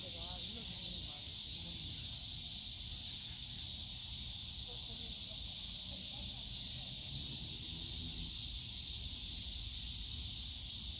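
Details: Bamboo-forest cicadas at Yongsan Family Park in summer make a constant high whirring buzz for the whole stretch, with faint distant speech and low park hum underneath.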